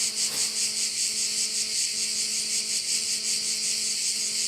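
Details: Shrill, pulsing insect chorus from crickets around a bay on Korčula, rhythmic and unbroken, over a faint steady low hum with overtones.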